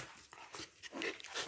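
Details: Siberian Husky named Baikal, indoors, protesting after stealing the puppies' plate of food: short whiny, slightly rising vocal bursts with bright overtones, the loudest near the end, over a hissy room background.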